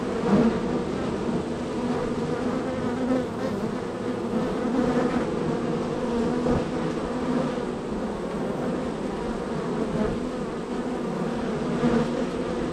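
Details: Extremely active honey bee hive, number 3 in the row, with arrivals and departures: unbroken buzzing drone with stacked harmonics, gentle swells every few seconds as bees fly close.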